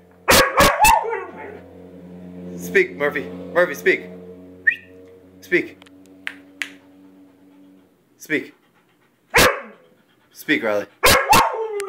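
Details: A Weimaraner and a Vizsla bark on command indoors, sharp barks at the start and end separated by whimpers, a steady low hum and a person's voice urging them to speak.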